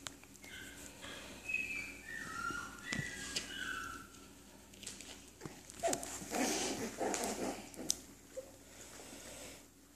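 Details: Cairn Terrier puppies indoors, giving a run of thin, high whistled whimpers that glide up and down over the first four seconds. Soft scuffling and rustling follow as the litter moves about.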